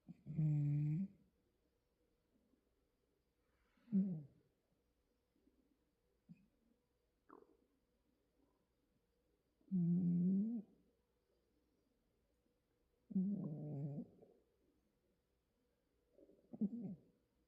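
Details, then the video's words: Domestic cat snoring indoors: low, harmonic rasping snores in separate bursts of about a second each, spaced irregularly every three to six seconds, with soft faint breaths in between and otherwise quiet room. "고양이 코골이"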